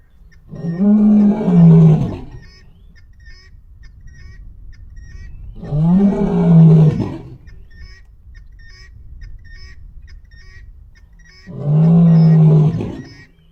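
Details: A male lion roars before dawn: deep, rumbling roars, each lasting over a second, spaced several seconds apart.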